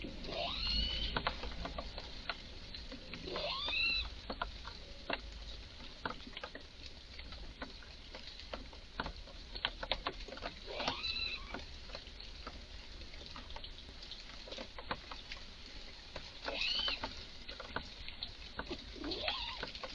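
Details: Excited red squirrel calling in a garden with strange cries: about five drawn-out, high whining squeals that bend downward, a few seconds apart, amid steady crackling clicks.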